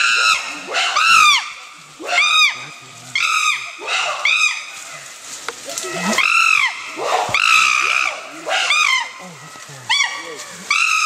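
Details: Wild chimpanzees in dense Kibale Forest, Uganda, September 2011, making lots of noise: a loud series of arching, harmonic hoots and shrieks, roughly one a second, overlapping from several animals.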